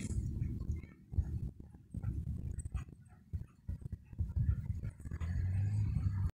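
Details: Rough play among Dobermans that turns into a fight: deep, rumbling growls and snorts in uneven bursts, with a sustained low growl building toward the end.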